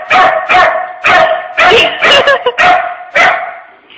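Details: Indoors at a workplace, the puppy Dylan, nicknamed Pooper, barks up a storm at a tissue holder shaped like a dog: seven or so sharp, rough barks in an uneven rapid series, roughly two per second.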